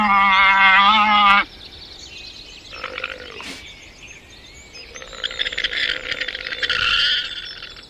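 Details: Llama, the domesticated Andean camelid, producing one sustained, steady, harmonic call lasting over a second, followed by quieter scattered noises and faint rustling.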